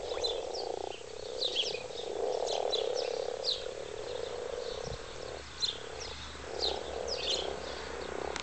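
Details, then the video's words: Chorus of mating frogs in a wildlife gardener's pond: continuous low rolling croaks swell and fade, topped by quick scattered clicks, and a soft knock near the middle. "The Frog Chorus in Wildlife Gardener's Pond"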